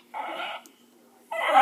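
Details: West Highland White Terrier voicing an 'uba' sound indoors: two short, moaning, talk-like vocal bursts about half a second long, separated by a brief silence.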